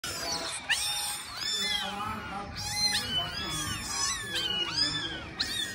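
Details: A kitten trained for 17 days, crawling along with its owner, gives high, arching meows that overlap almost without pause, each rising then falling, over a murky low background rumble.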